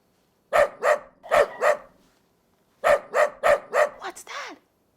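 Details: Domestic dog barking in a preschool listening quiz on farm animals: two bursts of four sharp, loud barks each, about a second apart, followed by a brief voiced sound at the end.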